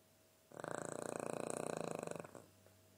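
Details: Sleeping dog snoring indoors. One fluttering, rattly snore lasts about 1.7 seconds, made of rapid rhythmic vibrations, then fades to quiet.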